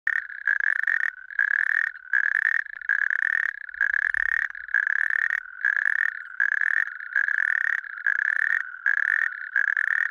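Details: In Lääneranna parish, Pärnu County, Estonia, a natterjack toad (Epidalea calamita) gives loud, rattling trills, each lasting about half a second and repeated in quick succession.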